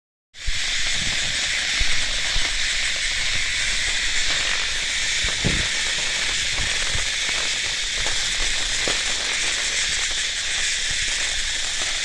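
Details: Cicada calling outdoors: a dense, steady, high-pitched buzzing drone that starts abruptly and holds without a break for about twelve seconds, with a few faint low thumps underneath.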